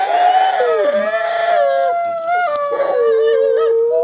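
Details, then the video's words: Two sibling gray wolves, ambassador animals kept at a wolf conservation center, howl together in synchronized song: two long, smooth, overlapping tones that waver and step slightly in pitch, one voice dipping briefly, richly harmonic, with no other clear sounds. "Wolf Siblings Howl a Synchronized Song"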